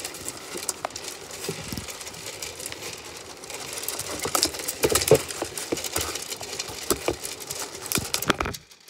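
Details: A hungry Zwartbles sheep on a farm in County Kilkenny, Ireland, munches right against the microphone, making close, crackling crunches and scraping clicks.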